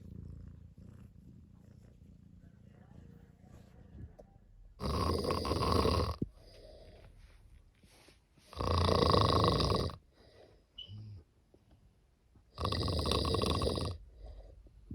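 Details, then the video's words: Sleeping cat snoring: a soft low rumble, then three loud, harsh, broadband snores, each about one and a half seconds long and roughly four seconds apart, with quiet breathing in between. "Snoring cat"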